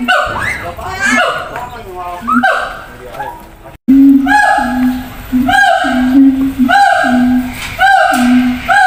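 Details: Siamangs in separate zoo cages calling to communicate over distance: a few quick rising whoops open, then after a brief cut a run of regular deep booms with bright barking notes, repeated roughly every second.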